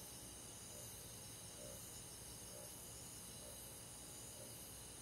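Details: Summer-night cricket chorus in a countryside forest: dense continuous high trilling, faintly pulsing, with soft repeated mid-pitched chirps about once a second above a low background hum.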